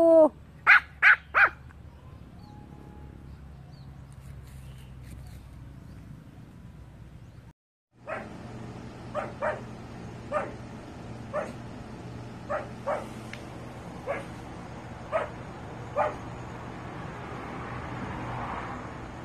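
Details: Pomeranian barking in a compilation: three quick sharp yaps open the sequence, a quiet pause follows, then a steady run of single short barks about once a second over a faint hum.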